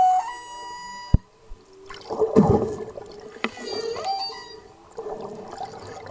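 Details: Subadult humpback whale cruising past a snorkeler in blue water off Maui, Hawaii, heard very loudly: drawn-out tonal moans rich in overtones, a rough grunting burst near the middle, then a rising whoop, over gurgling water.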